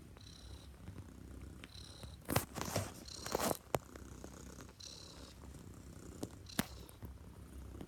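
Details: Neva Masquerade cat, a Siberian Blue Point female bred in Russia, kneading a bed indoors; steady low rumbling purr with rhythmic breathy pulses, broken by sharp scratching and rustling bursts from her paws on the bedding.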